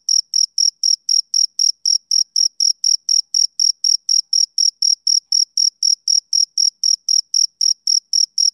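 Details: Steady high-pitched chirping of a male cricket: brief bright pulses repeated evenly about four times a second, each with a fainter higher overtone, over complete quiet.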